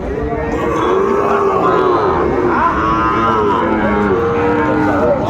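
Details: Sahiwal bull calves at a busy cattle market in Manikganj, Bangladesh, on 30 December 2024; several overlapping moos, rising and falling harmonic calls, blend with a constant din of crowd chatter and bargaining voices.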